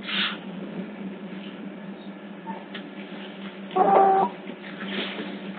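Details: Otter pups at Hertfordshire Zoo, picked up by hidden CCTV cameras: one short, steady, tonal squeal with clear overtones near the four-second mark, over a constant low electrical hum and soft rustling.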